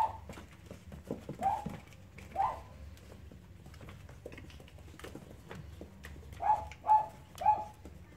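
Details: Cavalier King Charles Spaniel puppies playing: a few scattered squeaky whimpers early, a quiet stretch with soft scuffling, then three clear high whines close together near the end.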